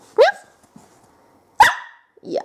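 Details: Twenty-week-old female whippet letting out short, sharp yips, two clear barks about a second and a half apart, then a rougher muffled grumble at the end.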